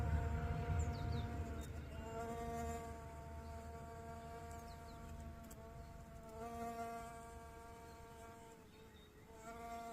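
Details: Bee-fly in a Bulgarian garden with primula flowers, its wings giving a continuous whining hum that wavers in pitch and loudness as it hovers, with faint chirps of small birds in the background.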